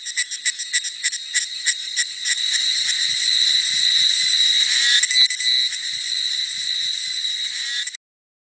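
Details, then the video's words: Forest cicada chorus on a sultry summer afternoon at Jinlong Mountain in Nantou, Taiwan, 28 May 2016: opening rapid pulsed buzzes that merge into a continuous, shrill high-pitched drone, ending abruptly. "夏日午後 Summer Afternoon ｜蟬鳴"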